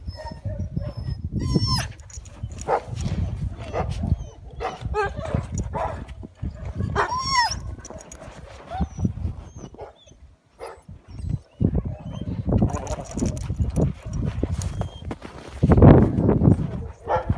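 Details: Two Siberian Huskies playing together in snow give high, wavering whines and short yelps that rise and fall, scattered over a steady low rumbling background with people's voices mixed in.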